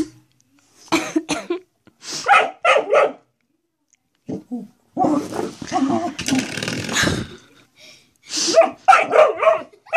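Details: Domestic dog barking at a door stop it appears to treat as a threat, giving sharp barks singly and in quick pairs with short gaps, some laughter and talk from people in the room.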